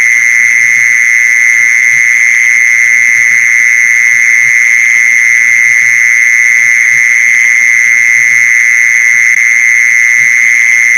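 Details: Lure call of the mole cricket (maeng ji son), meant to draw the insects in; a steady, piercing, high-pitched buzz runs without a break from start to finish, loud and even, with nothing else audible.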